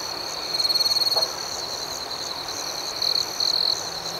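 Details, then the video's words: Crickets at night: a dense, steady high-pitched chorus broken by two louder, rapidly pulsed buzzy trills, one lasting under a second early on and another short burst near the end. "Soothing Cricket Sounds"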